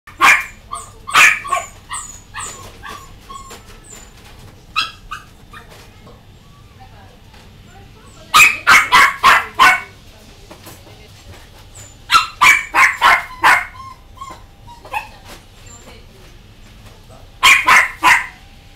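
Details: Dogs in a pet shop: sharp repeated barks in bursts of three to five, separated by quieter gaps with scattered yelps, a few seconds between bursts.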